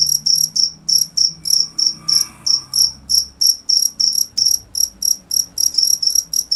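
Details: Cricket giving fast, bright, trilled chirps in even succession, around three and a half per second, with a faint hum and a brief soft rustle partway through.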